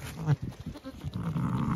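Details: Zwartbles ewe with her newborn lamb on a regenerative farm in County Kilkenny, Ireland, just after lambing, the two communicating: soft, low, grumbling mutters in short bursts, with faint handling noise.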